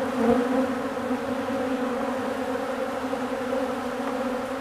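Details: Honeybees feeding on old comb make a dense, unbroken hum from many insects, low and steady with a brighter overtone, slightly louder at the start.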